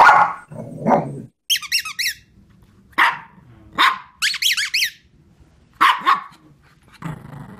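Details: Shih Tzu barks in short bright bursts, mixed with clusters of high squeaky, toy-like chirps and some low rumbling sounds.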